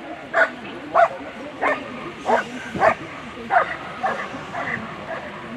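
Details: German Shepherds at a world championship agility competition; short sharp barks repeated roughly every half second to second, irregular, over a steady background murmur.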